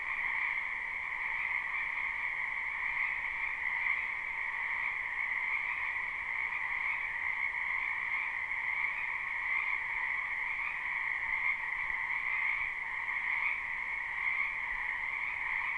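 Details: Many frogs croaking in a spring wetland behind a house, live recording without looping: a dense, unbroken chorus of high trilling calls merging into a steady shimmering drone, with no pauses and no other sounds.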